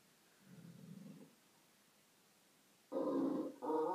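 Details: Male Great Dane on a Sunday morning makes a low, moaning vocal sound, then after a pause a louder, higher grumbling howl broken into two bursts with a strong harmonic tone.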